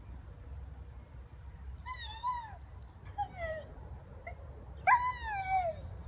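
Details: A 16-month-old Rhodesian Ridgeback "talking" to squirrels in Gunnersbury Park, London: three drawn-out, bending whines with strong harmonics, each falling at the end, separated by pauses, over low outdoor rumble.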